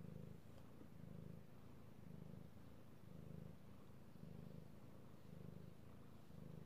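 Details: Cat being petted, purring, recorded 3/16/18; deep throbbing purr rising and falling in even surges roughly every second, a soft steady rumble beneath.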